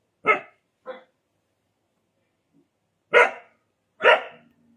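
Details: Desi dog from India giving sharp, loud barks in two pairs, a quick double bark, then a pause of about two seconds before two more strong barks, with a faint low hum at the end.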